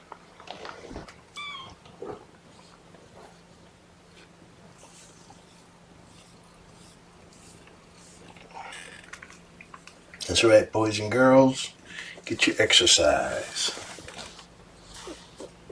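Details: Kittens of mother cat Seraphina, a litter of four, objecting to being pottied before weighing indoors; a thin high mew early on, then loud, harsh, wavering cries in bursts between ten and fourteen seconds, with handling rustles.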